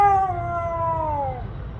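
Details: A female Siberian Husky outdoors, seemingly upset that her snow is melting in warm weather, gives a clear, mournful howl that holds a steady tone and slowly sinks in pitch over a second; a person speaks softly before and after.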